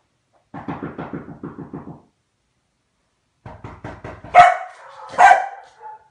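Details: Hungarian Komondor: two bursts of rapid, pulsing growl-like grunts, followed by two sharp, loud barks about a second apart, with a short whine after the last.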